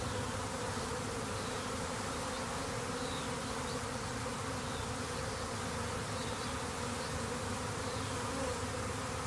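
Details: A tornado of swarming honey bees, split from a thriving hive, whirling around their queen; steady, enveloping low buzz with overlapping wingbeat hum throughout, no other sounds.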